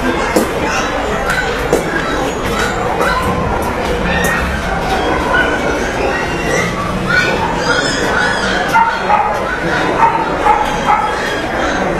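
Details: A white Pekingese gives short, high yipping barks over a busy background of people talking.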